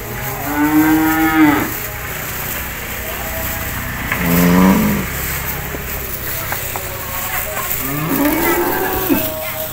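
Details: Feeding cattle in a cowshed give three moos within ten seconds: a long first call, a shorter lower one midway, and a rising, bending call near the end, with faint clatter between.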